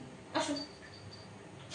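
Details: Pet cat indoors, a single short harmonic meow lasting about a quarter second, with a faint steady insect tone in the background and quiet room noise.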